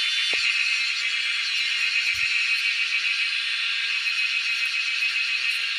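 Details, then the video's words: Loud wild cicada chorus, a continuous high, hissing drone with slight shimmering pulses, heard in the wild during a cicada hunt; a couple of faint low knocks underneath. "Hunting cicadas || Making crazy noise in the wild"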